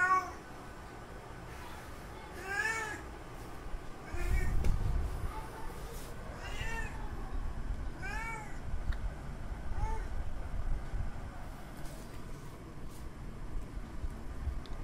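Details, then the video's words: Tomcat calling for a female in heat, a series of about eight short arched meows spaced one to two seconds apart, fairly quiet against steady low-pitched background noise and a few soft thuds. "Male Cat Calling Female In Heat Sounds."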